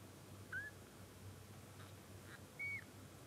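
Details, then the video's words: Newborn Munchkin kitten, short-legged, on its first day of life, gives two short, thin, high squeaky mews, the second higher and slightly drawn out, about two seconds apart over a low steady background hum. "A powerful meow of a kitten on the first day of life"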